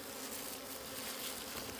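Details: Wild bees at a hidden store of wild honey, their faint low hum running under loud hissing broadband noise.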